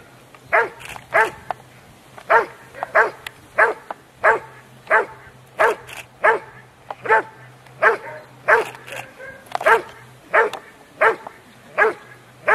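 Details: Rottweiler Huck dei Re Magi at an IPO3 trial, section C, held by the Rottweiler Club Italiano in Rome on 18 November 2012: deep, forceful barks repeated steadily about every half to one second, with a faint low hum beneath.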